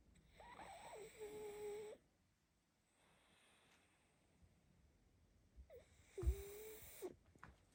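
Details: Sleeping baby pug snoring indoors: two separate breaths, each a rough, rasping drone carrying a thin nasal whistle that wavers and then holds steady, with a short quiet pause between them.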